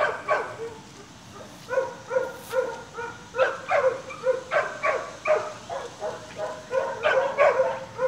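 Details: Staghound puppies almost seven weeks old playing and chasing: a steady run of short yipping barks with harmonic stacks, several pups overlapping, about two yips per second, with some higher squeaky yelps among them.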